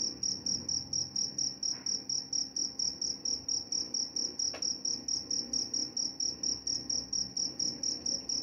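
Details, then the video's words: Crickets chirping for sleep, also claimed to repel mice. Shrill pulsed chirps repeat about twice a second. Two faint clicks break in briefly under the steady rhythm. "Suara jangkrik"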